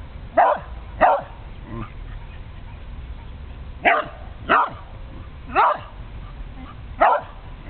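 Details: An old female Karelian Bear Dog barks at a turtle passing through, giving sharp single barks, often in quick pairs, with pauses between.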